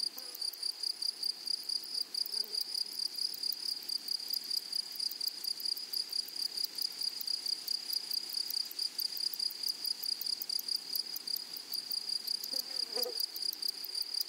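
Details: Flowery meadow grasshoppers keep up a thin, high, unbroken whine studded with fast regular pulses, with a faint lower chirp around the middle and another near the end.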